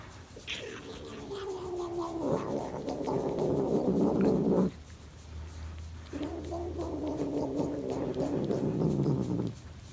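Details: Domestic cat making an unusual sound while its back is scratched: two long, droning, moaning calls of several seconds each, slightly wavering and falling in pitch, separated by a short pause.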